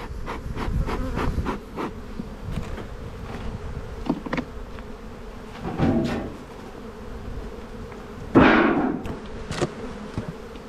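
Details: Spring buildup in an Australian bee yard: honey bees of the black hive, opened with a bit of smoke during an inspection, give a dense steady drone, broken by knocks and scraping of frames and boxes.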